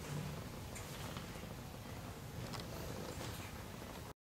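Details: Cat living in an animal shelter in Germany, in a straw storage room, purring: a steady, low, throbbing rumble runs unbroken for about four seconds, with a few faint soft clicks and rustles above it.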